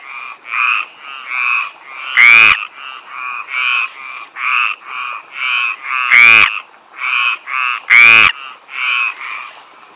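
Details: Chorus of stripeless tree frogs in the south of France: steady rows of short nasal croaks, with three much louder, raspy croaks from a nearby frog standing out.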